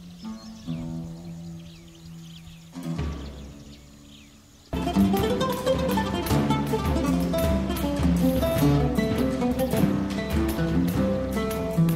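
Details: Instrumental music with plucked guitar-like notes plays throughout, getting fuller and louder after a quiet opening, with no animal calls heard.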